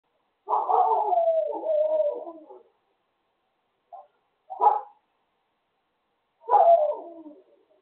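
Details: Neighbour's dogs making noise; a long wavering, moaning howl-like vocalisation of about two seconds, a short yelp, then another descending howl, on an otherwise silent background.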